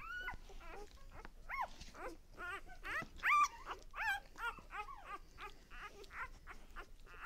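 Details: Lexa's puppies at one day old fill the air with a busy chorus of bent, high squeaks and short whines, several pups calling over one another, one sharp louder cry midway.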